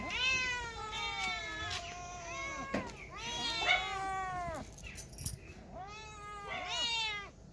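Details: Cats and kittens meowing: three long harmonic meows, each rising then falling, spaced about three seconds apart, with faint clicks between them.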